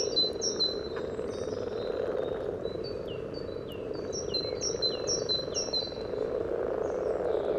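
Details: Chorus of common frogs at a spawning pond in Sunnersta, Uppsala, picked up through a parabolic microphone: steady low churring purr throughout, overlaid by a bird's series of thin, downslurred chirps every half second.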